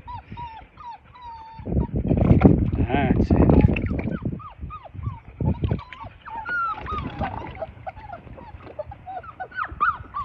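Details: Six-litter Labrador Retriever pups aged five weeks take to the water in the baby pool they were born in. Repeated short, high whining yelps, several every second, sound over loud splashing and a few human voices.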